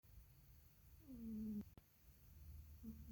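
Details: Mother cat asleep and snoring: a soft low rumbling breath underneath, a drawn-out whistling nasal tone that drops slightly in the middle, a sharp click just after, then a shorter whistling snore beginning at the end.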